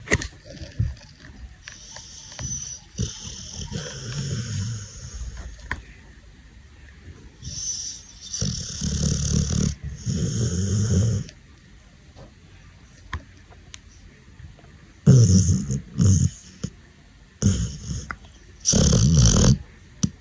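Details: Sleeping Pit Bull puppy snoring indoors: rough, low, breathy snores come in irregular bursts of one to three seconds, loudest near the end, with quiet pauses between.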